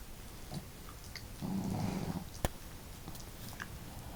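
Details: Pet dogs asleep indoors, one a female with a hearty snore and the other a quiet snorer: a single low, rough snore lasting under a second, followed by a sharp click.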